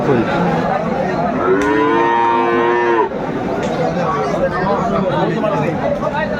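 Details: Friesian or crossbred bull calf at Aftabganj cattle market, Dinajpur, on market day; one drawn-out, steady moo of about a second and a half amid constant crowd chatter and market noise, with a distant background murmur after.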